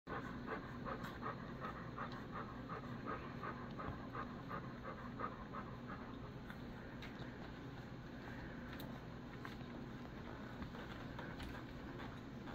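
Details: A three-week-old male Alaskan Malamute puppy pants rapidly with soft, breathy huffs running steadily while his face is washed.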